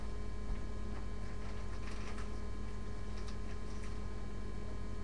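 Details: Steady electrical hum with faint ticking and scattered clicks, no animal voice heard.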